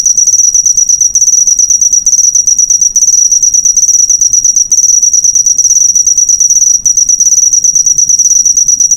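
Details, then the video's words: Master recording of a cricket for tutoring caged songbirds, a piercing rapid-pulsed trill running nonstop, broken only by a few brief dips, with nothing else clearly audible. "Masteran burung suara jangkrik mewah yg paling di cari"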